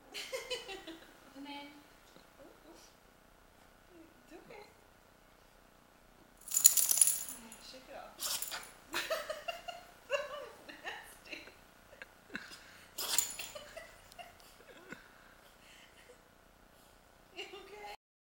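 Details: A female pet dog caught in a sneezing fit that went on for almost 30 minutes: several sharp, explosive, hissing bursts arrive in quick succession around the middle, with a further burst later, separated by quieter rustling and a voice.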